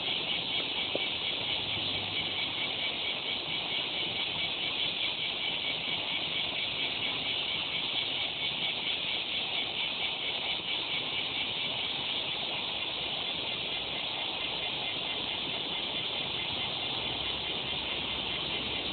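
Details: Continuous cicada song, a loud, even, high-pitched buzz sustained throughout with a faint pulsing texture and no breaks, with no other clear sounds.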